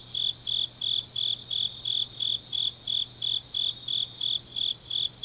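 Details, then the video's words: Autumn night grass insects in Changnyeong, South Korea, giving loud, high, trilled chirps in regular bursts just under three per second, each burst slightly buzzy, over a faint low hum. "깊은밤 가을 풀벌레 소리"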